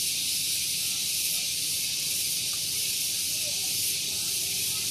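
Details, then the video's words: Cicada singing in the morning at Gunung Geulis, Bogor, West Java, very loud, near a vehicle parking area; a steady, dense, high hissing drone holds without a break throughout, with only a faint low rumble beneath. "Relaksasi Suara Tonggeret || Santuy Pagi Ditemani Suara Tonggeret"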